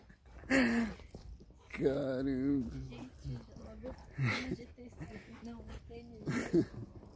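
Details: Woolly Siberian Husky, Rony, vocalizing in drawn-out, wavering howl-like 'talking' notes with a warbling pitch, several separate bursts, alongside human voices speaking to the dog.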